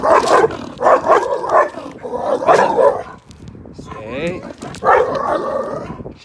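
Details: Pitchow (pitbull and chow chow mix) barking aggressively and territorially at a much smaller chihuahua: loud, harsh barks in bursts about once a second, a pause with a higher whining note, then more barks, with a human voice between them.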